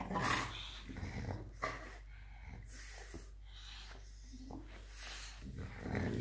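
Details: A French Bulldog called Muffin playing rough with a young boy nearly three years old: low, quieter rumbling growls, broken and uneven, mixed with scuffling and a child's voice.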